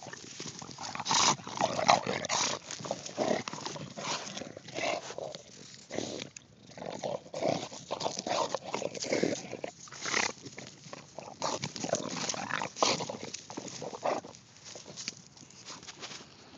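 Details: An English Bulldog confronting a pumpkin snorts, huffs and grunts in rough, noisy bursts with brief pauses between them.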